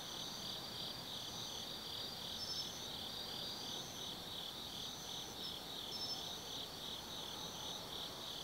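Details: Forest insects singing on an autumn night at Tsukimi Forest overlooking the Nobi Plain, Japan: dense shrill trills, a pulsing caller beating steadily and intermittent high chirps every few seconds, light low-frequency hum throughout.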